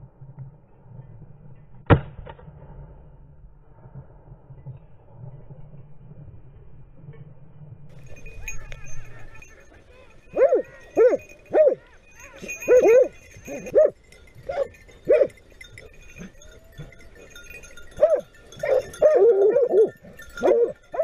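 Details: A pack of Griffon Nivernais hounds chases a wild boar in Haute-Garonne during a hunt. A sharp gunshot cracks early on. After a quiet stretch, a burst of loud, harmonic barks and bays repeats rapidly from several dogs.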